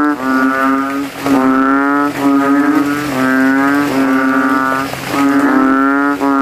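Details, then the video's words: Banded bullfrogs, called kodok kintel, in a rain puddle in a cemetery at night, throats inflated, competing to call loudest: deep, nasal, bass moans about a second long, repeated back to back with overlapping callers. "GENANGAN AIR MENJADI AJANG LOMBA KODOK INI BERTARUNG SUARA KERAS"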